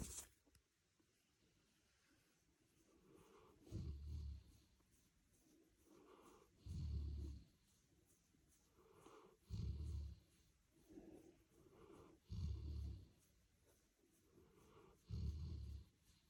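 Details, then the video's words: Golden retriever asleep beside a person after a long day at the beach, snoring in deep, rumbling low breaths roughly every three seconds, six snores with soft quieter exhales between, indoors in a small room. "Cute dog sleeps and snores"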